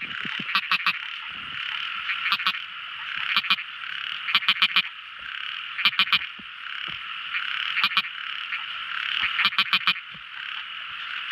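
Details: Night-time song of tiny frogs: short bursts of two to four sharp clicking notes, spaced one to two seconds apart, cut through a constant high shimmering chorus of many other frogs.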